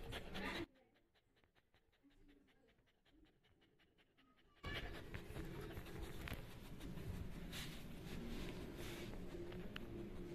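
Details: Three-month-old Labrador Retriever puppy panting indoors, a fast breathy rhythm of roughly three pants per second after a brief quiet stretch, with faint household noise and a little speech in the background.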